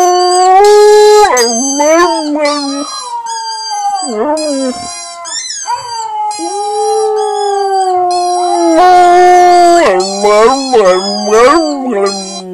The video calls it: Husky howling